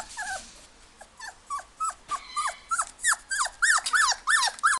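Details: Golden Retriever puppy at a pet shop in Ginan, Japan, whining continuously: high, falling whimpers repeated about three times a second, growing louder and more insistent.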